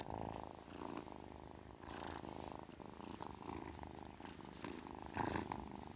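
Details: Kitten purring steadily, a low rumbling pulsed drone rising and falling in breathing phases, with short airy broadband bursts near two and five seconds.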